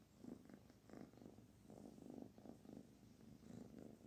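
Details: Barfi, a kitten, purrs under petting; soft rumbling purr beating in short regular bursts roughly three times a second, quiet indoor setting.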